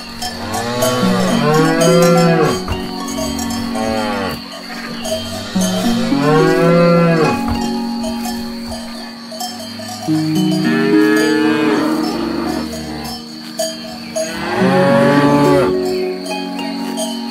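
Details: Grazing cows give four drawn-out moos spaced several seconds apart, each swelling then fading. Sustained bell tones and stepped musical notes ring continuously beneath them.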